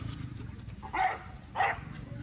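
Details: Rottweiler out among the public, giving two short, loud barks about half a second apart over a steady low rumble and faint background voices.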